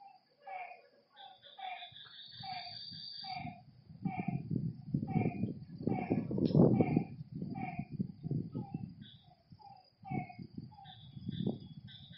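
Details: Lakeside frogs at night give rapid, evenly spaced croaks, roughly three per second, against a steady high insect whine. Low rumbling bursts of noise break in and out partway through.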